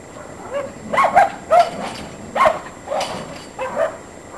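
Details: Norfolk Terrier playing with its favourite toy, giving five short, sharp yapping barks spread over about four seconds, some doubled in quick pairs, against a quiet indoor background.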